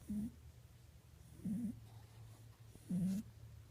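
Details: Domestic rabbit snoring while asleep, described as lazy and fond of sleep; three low, wavering snore sounds about 1.4 seconds apart, each with a faint hiss, over a steady low hum indoors.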